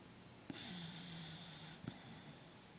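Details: Pet dog snoring and twitching in his sleep indoors: one long, drawn-out wheezy breath with a hissy high rasp over a low steady hum, lasting just over a second, then a short snort.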